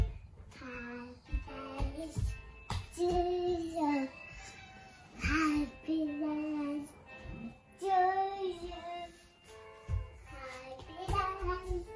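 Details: A child sings a melodic tune in short phrases over music inside a small room, with no clear animal voice standing out.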